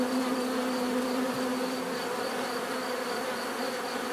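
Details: Bees giving a bright, sustained buzz, one strong steady low hum above a busy wash of overlapping wingbeats, unbroken across the whole stretch.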